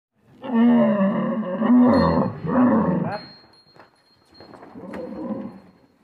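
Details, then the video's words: Rajasthani camel calling: deep, rough, moaning bellows in three loud surges over about three seconds, each with a harsh, grinding tone, followed by a quieter, lower drawn-out groan after a short pause. "राजस्थानी ऊँट की आवाज़"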